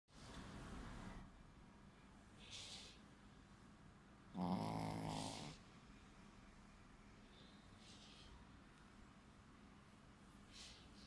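Snoring from a sleeping Shih Tzu comes as low, raspy rumbles. Louder breathy snorts break in now and then, with quieter, steadier breathing between them.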